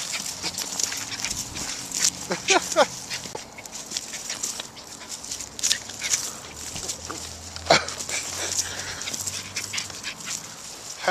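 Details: An excited, very hyper and happy terrier gives short high whining squeals with bursts of rapid clicking and scuffling noise throughout, while a person talks nearby.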